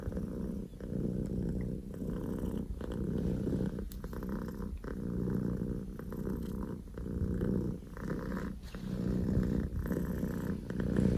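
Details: Loud purring from Poko J, a male Scottish Fold kitten born 15 October 2019, son of the tortoiseshell Pekomi; a deep, rumbling engine-like purr in long continuous stretches, broken by brief breaths roughly every one to two seconds.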